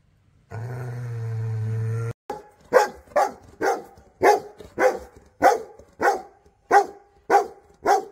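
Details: Dog barking in a steady run of sharp, loud barks, roughly two per second, after a brief sustained low tonal hum at the start.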